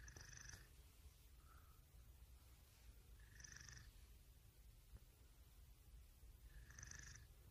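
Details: Domestic cat purring in a deep, even rumble, with a breathy whistling sound returning every three seconds or so, three times.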